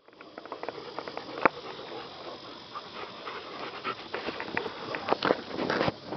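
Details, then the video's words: Buddy, a rescued yellow Labrador retriever, play fighting: scattered short gruff growls and huffs, with panting-like breathy bursts and rustling, building to louder clustered snarls near the end. "Yellow Lab play fighting"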